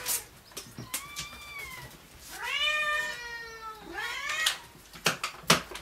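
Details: Rescue cat at the Dove Cat Rescue sanctuary, awaiting a new home, makes three plaintive meows: a long falling one, a louder wavering one, then a short rising one. Sharp clicks and knocks come between the calls.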